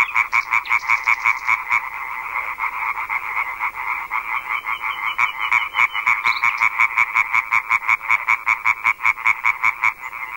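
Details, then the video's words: European tree frogs in a large dusk gathering, their chorus said to carry more than a kilometre: insistent rapid croaks, roughly three each second, merging into a continuous loud rattling chorus throughout. "chant des reinettes vertes est alors si puissant qu'il porte parfois à plus d'un kilomètre [Rires] [Rires] rainette"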